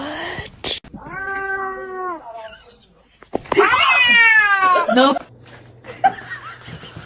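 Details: Kitten giving two drawn-out meows, the first steady and level, the second louder with a falling tail, amid laughter, chatter and background noise.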